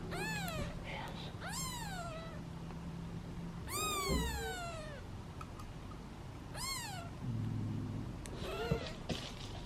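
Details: Impatient meowing from a basket of seven hungry kittens awaiting their turn to be fed; several high arched meows, some overlapping and one long drawn-out cry, over a steady low hum and faint rustling.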